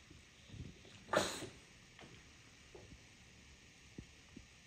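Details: A bulldog in New York City gives one rough, breathy, harsh bark near the start, then only a few soft taps and small rustles break the quiet.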